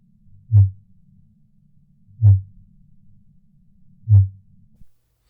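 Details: Fin whale song, which it uses to communicate and to locate prey: three short, very deep thumping pulses, one roughly every two seconds, each a brief low boom against a faint low hum.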